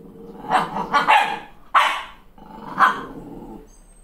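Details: Furious Malshi crossbreed puppy reacting to her own reflection in the mirror after a haircut: growling runs into several harsh barks, about four loud peaks, with a rumbling growl between them.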